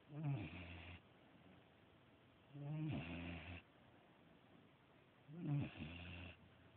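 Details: Sleeping pet dog snoring indoors: three low, rumbling breaths, each lasting under a second, with a raspy upper edge. They repeat roughly every two and a half seconds over a quiet background.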